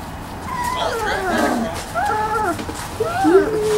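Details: Three-week-old Wirehaired Pointing Griffon puppies playing in a garage whelping box, Bluestem Kennels 'M' litter; thin, whiny, harmonic whimpers that rise and fall in several short overlapping bursts, a higher sliding squeal at the end.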